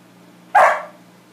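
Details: One sharp, explosive bark from Max the dog as he reacts to his reflection indoors, a brief broadband burst that fades quickly, with a faint low hum in the background.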